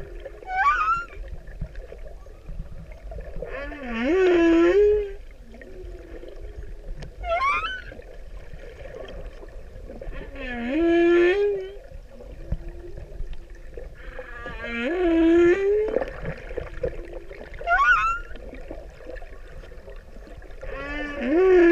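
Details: Male humpback whale in the Pacific singing for a female: an alternating series of upswept moans and short high squeaky whistles, a new unit every two to three seconds, over faint background underwater hiss.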